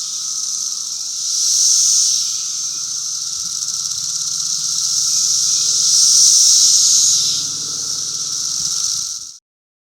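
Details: Periodical cicadas of Brood V calling during the 2016 emergence, late May: a dense, continuous high hissing drone that swells and fades in slow waves, with a faint low hum beneath, ending abruptly.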